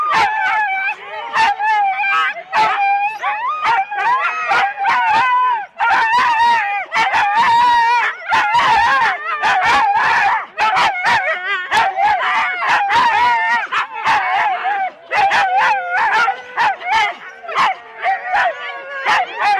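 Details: Huskies in four-dog sled teams at a race start in Rendlesham, January 2016, taped on analogue cassette: a dense chorus of excited yelps and sharp barks over long wavering howls and whines, overlapping continuously.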